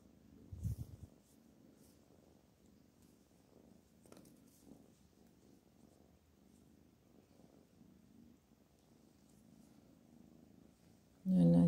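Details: Pet cat called Black Panther, indoors, purring quietly: a steady, low, rhythmic rumble of fine pulses throughout, with a brief louder bump near the start and a sudden loud noise right at the end.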